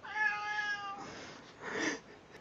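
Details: Domestic cat saying hello: a clear, steady meow lasting about a second, slightly rising at its start, followed by a softer human voice; quiet indoor background.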